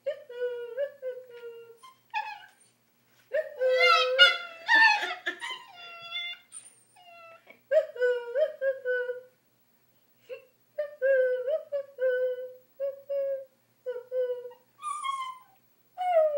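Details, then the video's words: Pet dog vocalising while its owners try to make it sit still; drawn-out moaning whines in repeated bouts, some wavering and rising, separated by short silences, with a brief rougher yelping burst. "Dog making funny noise"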